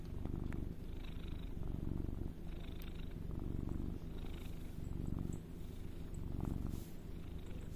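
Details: Pet cat giving a continuous deep purr, rhythmic swells roughly every second or two as it breathes in and out, otherwise quiet room.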